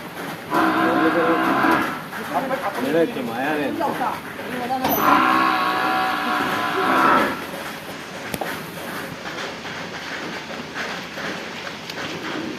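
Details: Water buffalo at a livestock trade bound for Palakkad district, recorded 20 July 2026: two drawn-out, harmonic lowing calls, the first about one and a half seconds, the second about two seconds, over a steady background rumble.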